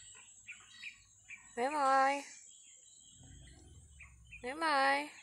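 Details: A pesky goat gives two drawn-out bleats, each under a second, with a wavering, slightly nasal tone and a rich harmonic buzz, separated by a few seconds of quiet with faint chirps and low rumbling in the background.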